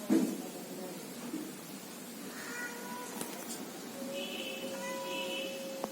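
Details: Domestic cat, part of a male and female pair, makes soft drawn-out meows, a brief one then a longer steady cry, quiet over a hissy room background.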